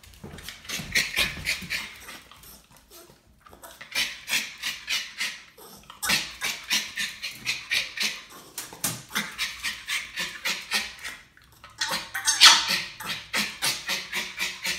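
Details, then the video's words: Norwich Terrier barking on demand: rapid bursts of shrill, clipped barks, around three or four a second, coming in runs separated by short pauses. "Demand Barking before and After with Norwich Terrier"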